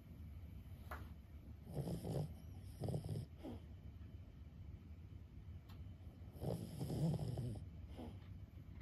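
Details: Snoring from a sleeping 15-year-old Boston Terrier named Lulu: grunting, throaty snores come in two short closely spaced bursts, then a pause, then a longer rumbling one, in a quiet room.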